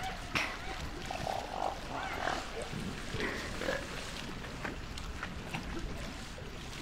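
Elephant seals give rough, guttural grunts and belching calls over a steady wash of background noise.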